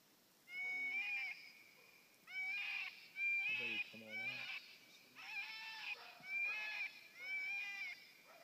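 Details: Coyote answering a FoxPro electronic caller with howls and barks. Strained, wavering howl notes repeat at steady intervals, each about half a second to a second long. A couple of harsher, lower barks sit in the middle of the run.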